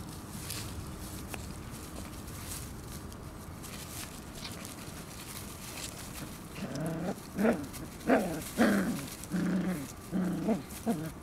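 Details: Shiba Inu puppies in a competition they refuse to lose; after quiet rustling, a rapid run of harmonic whining yelps rises from about seven seconds, repeated roughly every half second.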